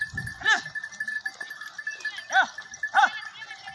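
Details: Tharparkar goats, a pure Thari breed, bleat three times: nasal, harmonic-rich cries, one at the start and two close together near the end, with a steady tonal hum and faint low rustling underneath.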